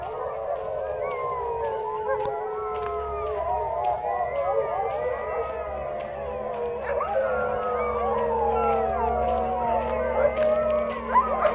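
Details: A chorus of sled dogs in Ilulissat, Greenland, howls together, many long wavering voices overlapping and sliding up and down.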